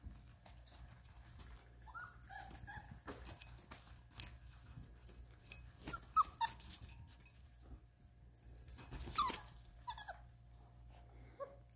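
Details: At 33 days old, Ruby's Vizsla puppies give scattered short squeaks and whines between quiet gaps, with a brief cluster midway and another near the end, over faint rustling.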